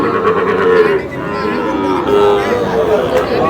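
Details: Sahiwal bull calves purchased by a Natore farmer: faint, wavering lowing notes through a busy crowd, with men's voices haggling close by throughout.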